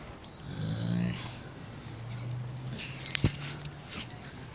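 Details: Zara, an angry she-wolf at the Spasi Menya wild animal shelter, gives a low, steady rumbling growl lasting about three seconds, followed by a few sharp clicks and knocks.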